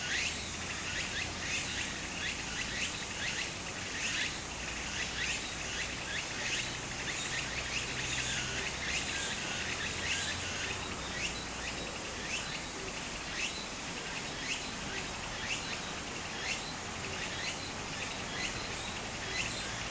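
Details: Summer cicadas by a Japanese brook: a dense, high shrill chorus with rapid throbbing pulses throughout, layered over the steady rush of stream water.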